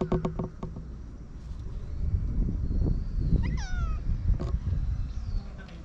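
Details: Stray community cat outdoors giving one short, descending meow midway through, over steady rumbling background noise and a few clicks.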